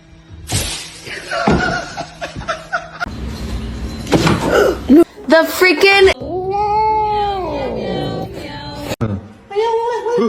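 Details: Domestic cat giving one long, drawn-out meow that rises then falls, with clear harmonics, after a burst of chatter and music; people talk and music plays around it.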